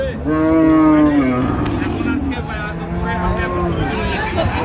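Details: Cattle at Ambari livestock market, Dinajpur, where cows and calves are sold, dated 16 January 2026: a long, low, drawn-out moo that sinks slightly at its end, then a quieter second lowing, over crowd murmur.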